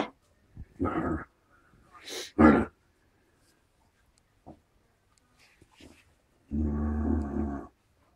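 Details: Play-fighting Alaskan Malamute x Siberian Husky pups, four weeks old, three-quarters malamute: rough throaty growl bursts, a sharp yelp near the middle, a long buzzing growl near the end, and soft scuffling between.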